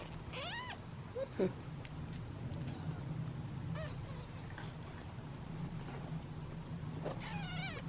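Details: Impatient domestic kittens wait in a basket for their meal. A few thin, arching meows come at the start, near the middle and at the end, over a steady low hum.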